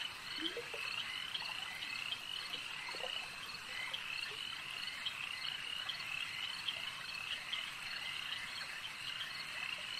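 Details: Lakeside frog chorus, a constant mass of buzzing, pulsed croaks from many callers, with a few short lower rising calls near the start and scattered louder clicks throughout.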